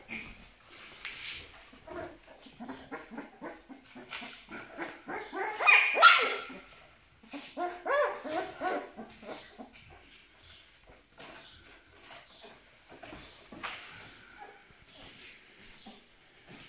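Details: Twelve-day-old Malaklı puppy from Aksaray, giving rapid high whimpers and squeaky yelps in quick bursts, loudest around the middle, with shuffling and handling noises behind.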